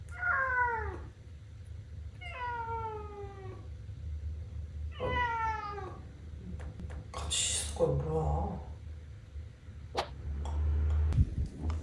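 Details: Male British Shorthair cat Sobbang, a house pet squaring off with its mirror reflection, gives three clear, drawn-out descending meows about two seconds apart. Scuffling noise and low room hum follow.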